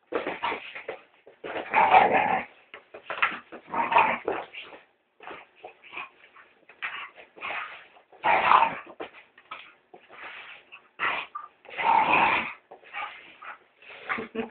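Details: A female Staffordshire terrier attacks a cleaning brush at home, giving loud, rasping growls in strong bursts about every two seconds, with breathy snarls and yips between them.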